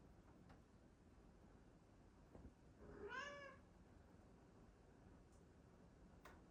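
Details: A female Bengal cat by the fridge gives one brief meow that rises and then falls, in a quiet room; she meows only when she doesn't see the camera.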